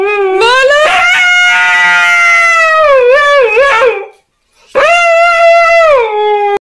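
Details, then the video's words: Husky "talking" in a small room: a long expressive howl that climbs, holds and then warbles with dips in pitch, followed after a short pause by a second shorter howl that falls at the end. "Love to hear huskies talk!"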